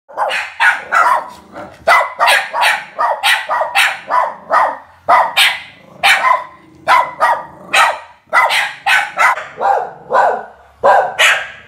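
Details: Two Border Terriers, a little insecure rather than aggressive, barking at people coming into the house: a rapid, sharp series of high barks, about two or three per second, sustained with brief pauses throughout.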